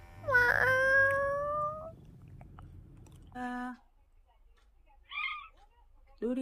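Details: Young domestic lap cat, the household's youngest, meowing indoors: a loud meow that falls then levels off over soft background noise, then a brief lower meow, a faint higher squeak, and the start of another meow at the end.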